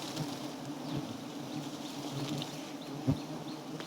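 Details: Wild giant honey bees swarm around a small nest with white comb full of honey, some striking at the camera; a steady low droning buzz with layered tones runs throughout, with a sharp knock just after three seconds.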